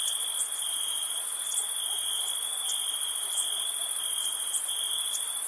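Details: Crickets on a summer night: a continuous, shrill, high trill with a second, even higher band pulsing faintly, steady and unbroken throughout, with no other animals or voices.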